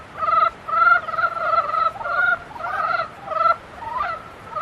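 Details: Loud, close croaking from frogs in breeding season: rattling, pulsed bursts about twice a second, each harsh and nasal, with fainter callers behind.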